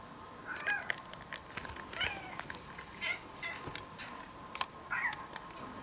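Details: Orange-and-white ex-stray kitten in Japan listening to recorded cat voices; several thin, overlapping meows among clicks and bumps, with a steady electrical hum beneath.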